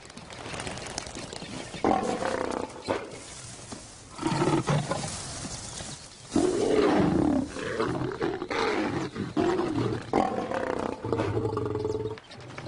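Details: Wild lions, adult males, the fathers of a group of cubs, sensing rebellion among the young: harsh snarling and growling roars in several loud bouts separated by short pauses, some with raspy tonal notes.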